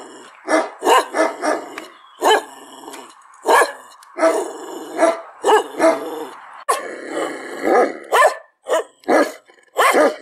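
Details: Dog barks in irregular bursts, overlapping and rough, some harsher and growly, over a continuous background hum of steady tones.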